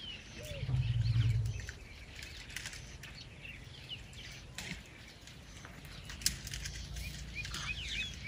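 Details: Elephants from a herd in Tarangire National Park, Tanzania, purring at night just outside a tent; a loud, deep, steady rumble of about one second stands out over soft bird chirps and a quiet night background.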